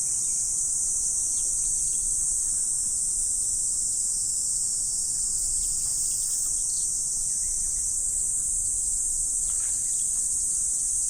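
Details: Autumn insects on a morning, a dense, unbroken high-pitched shrill drone held at steady loudness throughout, with faint scattered short chirps in the background.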